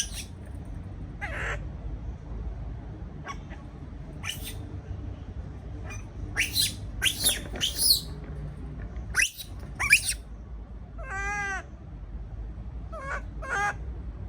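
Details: Caged baby monkey, afraid after being left alone: scattered high screeches early on, then a cluster of harsh cries and a few wavering, tonal whines near the end, over a constant low hum.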